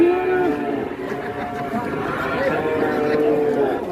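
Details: Sacrificial cow for Qurban in Indonesia, described as panicking and running amok, lowing in a long sustained moo with a steady harmonic stack, rising slightly near the end, while people talk and shout nearby.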